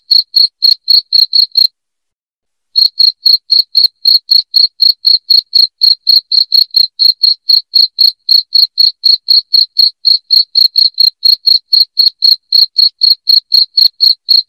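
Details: Loud cricket chirping: sharp, bright pulses repeated about four times per second in a steady run, with one silent break of about a second near the start, then the even chirping resumes.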